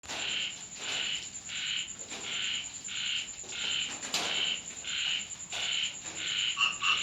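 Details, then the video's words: Frogs calling on a rainy night at a home in Thailand; short bright croaks repeat about every 0.7 seconds over a steady high insect-like whine and soft background hiss. "เสียงกบร้องตอนฝนตก Frog sound effects"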